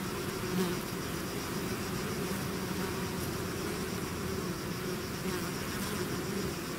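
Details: Continuous low buzzing of a bee swarm out of its hive, a thick, steady drone with faint rising and falling hum tones from individual bees passing.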